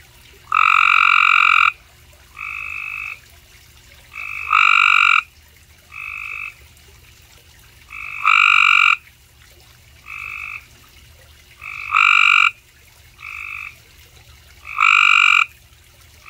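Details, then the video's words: Cope's gray treefrog calling in Mooresville, North Carolina, giving loud, harsh, buzzy trills about a second long, with shorter, fainter trills between. "Cope's Gray Tree Frog calling, Mooresville NC"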